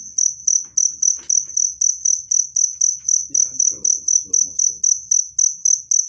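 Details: Cricket chirping, offered as a clear, loud sound to drive rats away naturally and to soothe stressed birds: shrill high pulses repeat about four times a second, with faint low voices murmuring midway.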